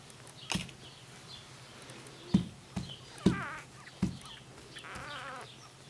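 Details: Two-day-old Australian Labradoodle Cobberdog puppies, a litter born to Misty and Tucker, give a few short harmonic whines and squeals, heard between loud handling thumps and soft background rustling.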